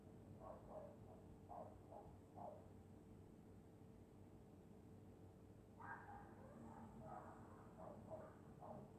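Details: Sleeping dog in Scotland on a winter night, snoring in short rasping pulses: a quick run of four breaths, a quiet pause, then a longer ragged cluster, all under a constant mains hum.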